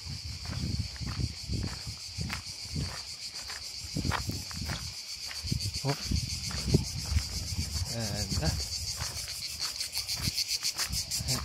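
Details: Insects called kuliglig, cricket or cicada, heard in summer on a path to a beach on Korčula Island, Croatia: a loud, continuous high buzzing drone, with footsteps and voices of walkers throughout.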